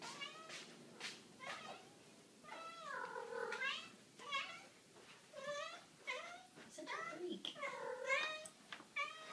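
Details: Tara, a female kitten, indoors and going crazy with excitement for her wet food, gives a run of loud, drawn-out meows that arch up and then fall, coming roughly every second, with a person's voice faintly behind.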